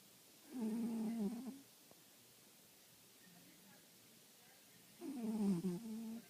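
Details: A little house cat snoring in its sleep: a low, rough drone lasting about a second, a long quiet gap, then a second wavering snore that dips and rises before fading, in a quiet room.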